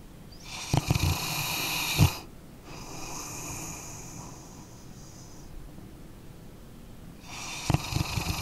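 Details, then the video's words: Sleeping dog snores steadily: a crackly, fluttering inhale with sharp clicks at its start and end, then a long, soft, whistling exhale fading into silence before the next rough breath begins. "Dog Snoring Sleeping Canine"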